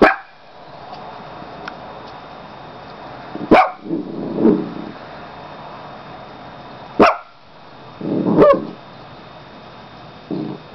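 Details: Dog barking in short, sharp single barks spaced several seconds apart, about three in all, with softer low grumbling sounds between them and a person talking nearby.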